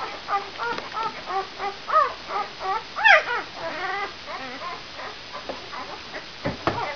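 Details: Five-day-old brown Labrador Retriever puppies from the E litter "vom Tannbachtal", mother Benja, give a busy chorus of high, squeaky, wavering whimpers. The cries overlap and come several each second, with a sharper, louder squeal in the middle.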